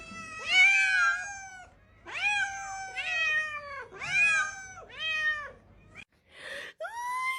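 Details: Cat giving a run of loud, drawn-out meows, about six in a row roughly a second apart. Each starts high and slides down into a wavering, wailing tone, and a brief pause near the end comes before one last rising meow.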